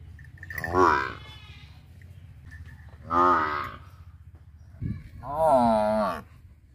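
A buffalo gives three drawn-out, nasal, moo-like bellows a couple of seconds apart.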